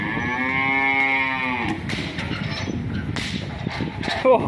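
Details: An angry cow lets out a long, rich, harmonic moo lasting nearly two seconds and fading at the end, followed by clattering knocks and a brief squeak against a low rumbling background.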